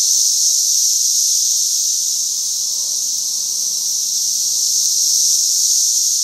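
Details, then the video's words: Mass of cicadas at the height of a brood emergence in mid Missouri, heard as a steady, piercing high-pitched wall of buzzing that barely varies in loudness throughout. "Cicadas Gone Wild"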